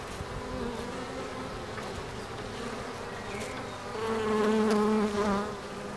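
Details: Bees in Ebersberg; a steady humming drone with wavering buzzy tones of passing insects, swelling louder for a second or two near the end.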